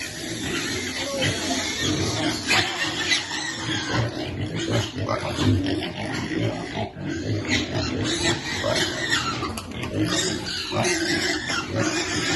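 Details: Feeding a young piglet: continuous throaty grunts and oinks, fairly loud and irregular, over a thick wash of rustling and background noise.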